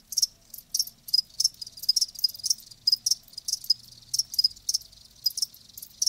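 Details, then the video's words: Live crickets chirping in short bright pulses, about two to three per second, each a quick high trill; steady rhythm with slight variation, no other sounds clear. "Live Crickets 60min "Natural Sound""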